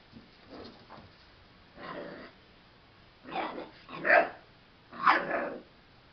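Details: Boxer dog giving a series of barks and gruff vocalizations: a few soft low woofs, then three louder, harsher barks about a second apart, in an indoor setting.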